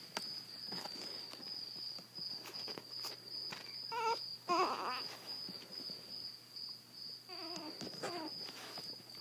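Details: Zada, a blind seven-week-old female Chihuahua puppy with severe hydrocephalus, rescued from the Fort Worth, Texas animal shelter, gives short harmonic whining grumbles in brief bursts near the middle and end, over a steady high-pitched background whine and a person's voice.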